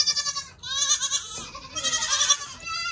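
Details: Baby goat, a doeling almost three months old born in March as a triplet, during kidding season on a farm: loud, wavering bleats in several bursts, with more bleating kids in the background.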